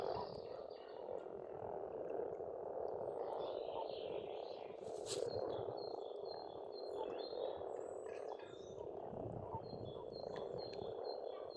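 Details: Dense spring frog chorus at a pond in Estonia, a continuous churning croaking mass centred low-mid, with scattered thin bird chirps and whistles above and a brief sharp click near the middle.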